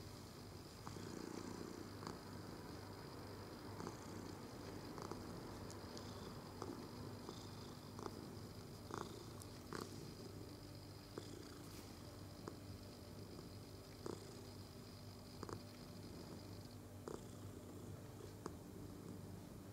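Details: Domestic cat purring while being stroked indoors, filmed 22 November 2018; a soft, steady low rumble runs throughout, with light rustling and faint clicking from the petting above it.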